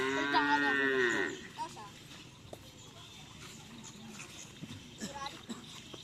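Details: Madura cattle at karapan sapi racing practice at the Asemanis field, Pamekasan, ahead of the Gagak Rimang team's anniversary. A strong, harmonic, arching moo lasts about a second, then gives way to quieter crowd noise and faint voices.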